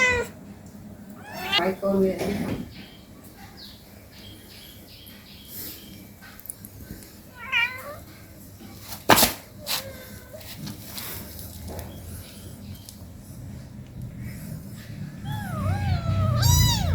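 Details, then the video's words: Domestic cats at home, an 18-day-old kitten playing with its mother: a few high, arching meows near the start, middle and end, separated by long quieter stretches of low background rumble and faint handling noises. "cat meowing sounds"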